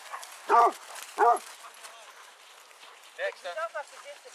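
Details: Basset Hounds, part of a pack of 18 walking round Belwade Farm near Dess, Aboyne, Scotland, on 10 August 2014: two loud, harmonic barks half a second apart, then a quieter burst of four barks, with murmured voices underneath.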